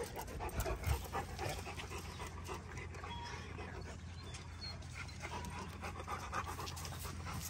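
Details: June the Rottweiler near Highland cows on a ranch, heavy rapid panting at roughly four breaths per second over a steady low hum and faint handling noise.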